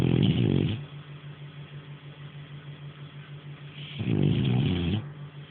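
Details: Nara, a sleeping French Bulldog, snores in two loud rasping breaths about three seconds apart, each a rough low rattle, with a steady low hum filling the quiet between them.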